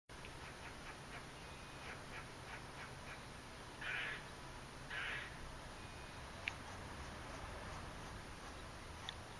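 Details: Squirrel calling in Margate, New Jersey, on October 28, 2012, the day before Hurricane Sandy; two short harsh, raspy bursts about a second apart follow faint ticking sounds over a steady background hiss.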